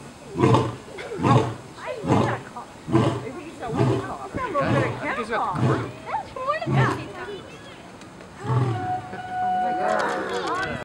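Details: Lion roaring at Cincinnati Zoo, a series of deep, loud grunting pulses at roughly one per second that gradually trail off, with people talking over and between the grunts and chatter continuing afterwards.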